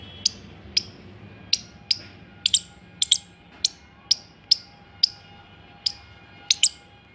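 A squirrel gives sharp, high chirps in an uneven series, about one or two each second.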